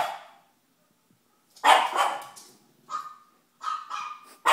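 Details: Pug puppy, female, barking while watching her favorite TV show: a few sharp, broad barks with pauses between, some with a short tonal whine near the end.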